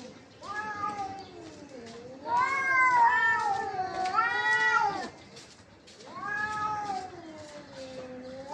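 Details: Two cats fighting with rising and falling caterwauls, a loud extended wail in the middle overlapping a second voice, then a softer drawn-out yowl that climbs at the close.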